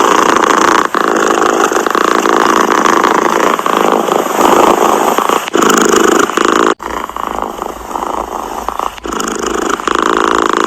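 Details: Purring cat, a buzzy, tightly pulsed rumble with short breath gaps; the texture shifts abruptly after a sharp break partway through.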